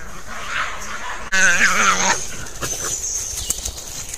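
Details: European badger; fighting calls; aggression during a fight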